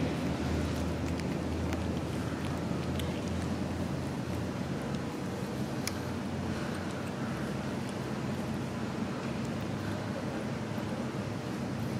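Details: Continuous low rumble of wind or a passing vehicle fills the scene, with a few faint clicks and no animal calls.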